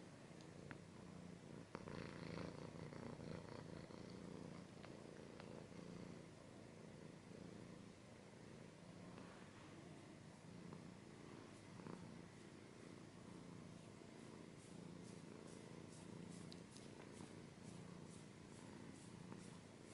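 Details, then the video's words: Domestic cat purring continuously in a low rumble while scratching noises crackle over it, with bursts of scratching and rustling toward the end; close ASMR-style recording. "Cat's purring / scratching / kinda ASMR"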